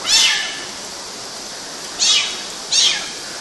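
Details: High kitten meows from young cats climbing mosquito nets in Galati, Romania, in June 2012: three short bright calls, one at the start and two close together near the end, over steady hiss.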